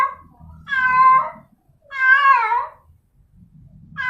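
A female domestic cat gives her mating call to attract a male: long, nasal yowls that waver in pitch and trail downward. Each lasts nearly a second, with short silent gaps between them.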